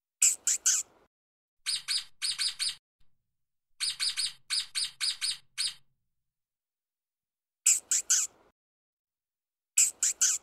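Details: A stoat (ermine) running fast on the ground gives high, thin chirps in rapid clusters of three to seven notes, with short silences between irregular clusters and little other sound behind.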